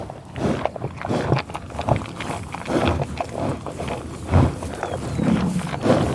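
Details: American bison on a tall grass prairie, eating while producing loud irregular grunts and snuffling breaths roughly every second or two, over crunching and grass rustle.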